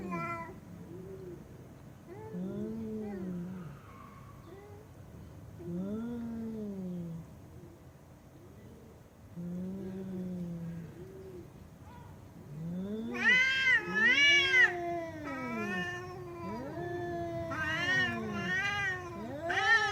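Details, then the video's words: Cats meowing loudly, low arched meows spaced a few seconds apart, then a burst of louder, higher overlapping meows and wails in the second half. "Cats Meowing Loudly"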